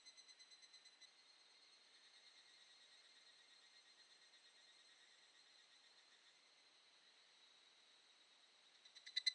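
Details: Wild evening cicada on a summer evening in mid-July in the mountains of Shinetsu, Japan; a high, metallic, rapidly pulsed trill on a steady pitch that fades to a thin hum, then swells again in loud pulses at the end.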